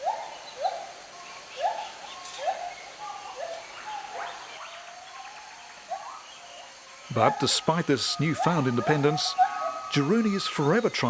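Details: Gibbon named Jarunee singing to announce territory, giving a steady series of short rising hoots about two per second, followed by a man's narration that covers the later part.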